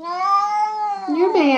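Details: Jealous domestic cat giving a drawn-out, steady meow that bends into a rising then falling wavering ending, indoors, with people talking nearby.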